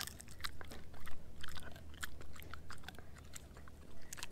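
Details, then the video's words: German Shepherd mix named Edu gnawing a dehydrated pig ear dog chew; quieter, sharp crackling crunches come in uneven bursts over a low steady hum. "Edu Eating a Dehydrated Pig Ear Dog Chew"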